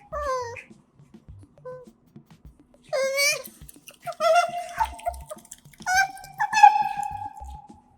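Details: Otters Kotaro and Hana, kept as pets, munch their food close to a microphone indoors. Brief squeaks at first, then a loud burst of rising, harmonic whines and a long, steady, whiny call near the end, with light chewing clicks beneath.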